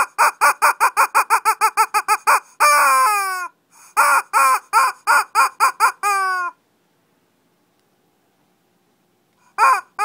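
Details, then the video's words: Shih Tzus in a mini fight in Kochi, Japan, give a rapid burst of about a dozen high, clipped barks. Longer, drawn-out yelps with falling pitch follow, then a few seconds of silence and one more bark. "Shih Tzu kochi japan new [mini] fight !"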